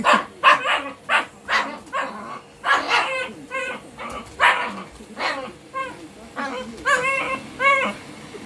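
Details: Shiba Inu reacting to a vacuum cleaner: sharp barks repeat about every half second, then turn into drawn-out, wavering whining yelps near the end, over a steady low hum.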